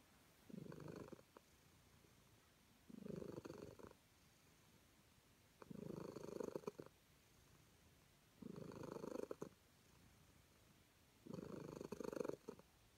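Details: Calico cat purring contentedly while being petted, with steady rumbling bursts roughly every two and a half seconds, five in all, each breath cycle about a second long; quiet room between purrs.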